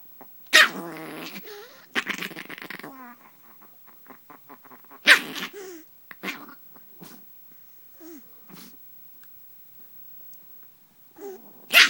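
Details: Drama, a female pet Chihuahua under the bed sheets, defends her spot in the bed as if a hand were another dog. Loud harsh snarling bursts alternate with rapid pulsed grumbling and brief quiet gaps, then a final sharp outburst.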